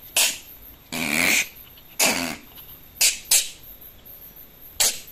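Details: Opossum growling, a nervous animal that may sound aggressive but only wants to flee; a series of harsh, breathy hissing bursts, each under half a second, separated by short pauses.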